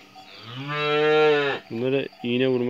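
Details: Calves kept in a yard on a hot day call out in one long, steady, richly harmonic moo lasting over a second, followed quickly by two shorter moos.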